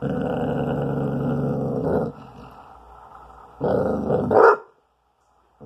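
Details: Growling from a twelve-month-old spayed female Basset Hound defending her bone from a teasing owner; a steady low growl for two seconds, a quiet pause, then another growl rising into a brief snapping bark before silence.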